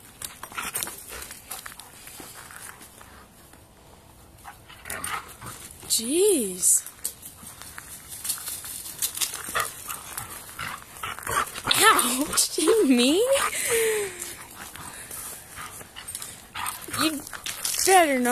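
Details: Pet dog Kimber playing tug of war while dog Sandy watches calmly: short arched whining yips that rise then fall in pitch, heard singly and in a quick cluster, mixed with a person's voice and praise.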